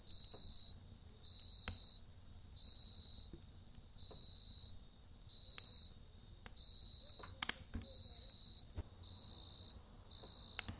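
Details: Night-time crickets next to a campfire, singing steady trains of high, ringing chirps in bursts of roughly half a second with short gaps, broken now and then by sharp crackling snaps from the burning wood.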